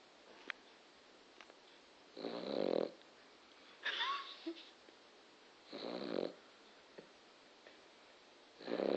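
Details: Sleeping male dog, described as a loud snorer, indoors; rasping, wheezy snores in bursts of about half a second to a second, spaced irregularly two to three seconds apart, one with a brief whistling squeak, in a quiet room.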